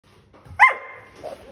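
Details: A Vizsla, possibly a puppy, gives a single sharp, high bark to get its owner to play.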